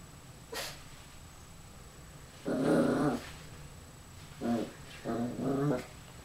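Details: Young puppy facing itself in a mirror, growling indoors: one longer throaty growl followed by three shorter rumbling growls in quick succession, with a brief high yip near the start.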